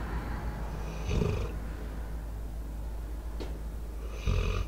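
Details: Debo, a four-year-old American Staffordshire Terrier/Pitbull, asleep and recorded close to a microphone with outdoor sounds around. Two soft, low snores about three seconds apart, with a faint click between them.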